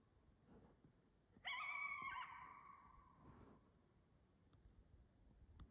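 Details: In Canada, a coyote gives a single high, wavering howl that holds steady, then drops away.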